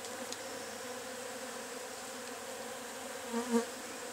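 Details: At the nest of Agelaia multipicta, also called cassununga or curumim, a constant low wasp drone runs steadily. Near the end, a short louder swelling knock or bump briefly rises over the hum.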